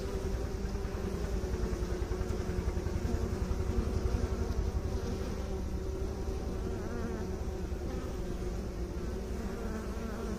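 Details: Bees, with beekeepers mentioned, humming in a thick steady drone that swells slightly around the middle before settling, with a faint low rumble beneath.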